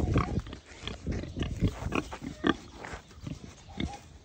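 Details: A young pet wild boar, recovering from a morning stomach upset, gives a run of short, low, rough grunts in quick, uneven succession while with its companion boar and caretaker.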